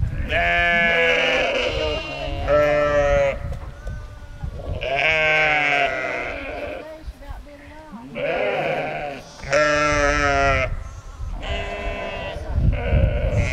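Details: Pair of orphaned lambs, rejected by their mother, fed by a sheepdog mother on a sheep farm; repeated quavering bleats come in bursts every couple of seconds, some overlapping, with human speech mixed in.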